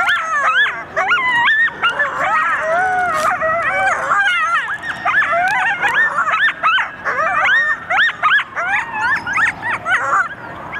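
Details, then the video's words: Coyotes howling and yipping together in response to sirens, a chorus of overlapping wavering howls rising and falling with rapid high yips throughout, several animals calling at once. "Sirens lead to howls and yips in a united front"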